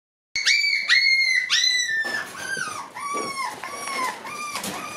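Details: Shiba Inu puppies coming up to a person; a run of high, whistled whimpers, each note briefly rising then dropping, about two per second, with several pups overlapping and shifting lower in pitch later on.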